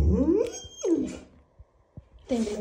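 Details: Pit Bull dog crying and complaining to get a new toy: drawn-out whining moans that slide downward in pitch, three in quick succession with short pauses between, in a small quiet room.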